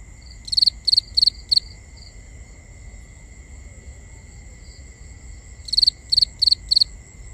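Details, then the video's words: Nighttime crickets in a binaural recording: four sharp high chirps, a long quieter stretch with a few faint distant chirps, then four more chirps, over a steady faint high hum and low rumble. "Cricket Conversations | Binaural Nighttime Ambience"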